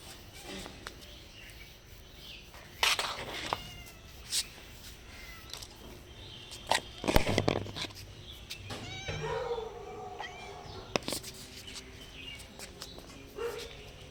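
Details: Stray cats meowing softly for food and shelter at a house; clear, drawn-out meows with falling tails, mixed with clattering knocks and handling noises close by.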